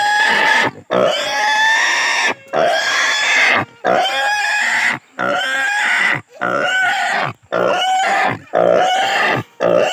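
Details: Distressed native pig squealing during castration: repeated piercing screams of one to two seconds with wavering, rising pitch, separated by brief gasps.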